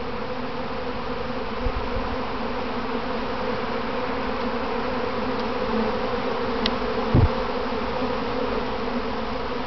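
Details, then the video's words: Kept honey bees swarming in a practice run near their box, later going back home: a thick, even drone from countless bees fills the recording, with a few soft knocks and a short tick partway through. "Inside a Honeybee Swarm"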